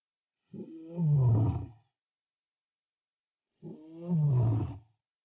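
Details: Wild lion on the African plains giving two deep, drawn-out roars about three seconds apart. Each starts with a rising grunt and swells into a loud, falling rumble, with silence in between.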